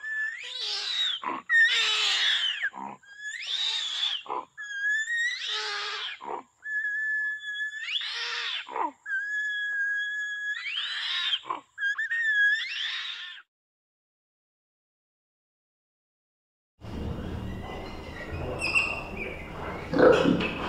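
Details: Orangutan giving a series of squealing, strained calls in bursts roughly every one to two seconds, some with thin whistled tones held between them; after a silent gap comes a stretch of noisy rustling with faint high cries.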